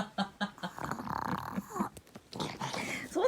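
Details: Maru, a pet dog indoors, coaxed to share a bite of bungeoppang (fish-shaped bread): a drawn-out, wavering, grumbling whine fills the middle of the clip, with human speech asking for the bread before and after.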